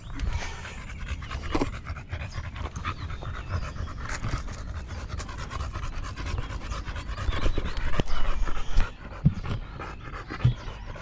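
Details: Golden Retriever named Buding, a dog that looks after her owner, panting in uneven bursts against low rumbling background noise, with a few sharp knocks near the end.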